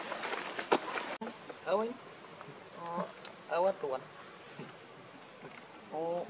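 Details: Baby monkey Lucie, very hungry for milk, crying: short bursts of wavering, harmonic whimpers near 1.7, 3, 3.7 and 6 seconds, with a faint steady high whine running underneath.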